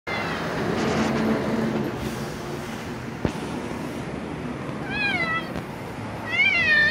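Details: Jeomsuni, a free-roaming cat that often visits a gas station and was raised among dogs, eats greedily. A steady background hum is broken by a sharp click, then two wavering, drawn-out meows near the end.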